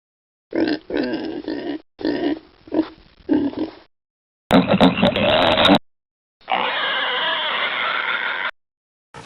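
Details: Pigs and suckling piglets: pulsed, throaty grunts repeated in quick runs, separated by brief silences, followed by a harsh broadband squeal and a steadier, rasping stretch.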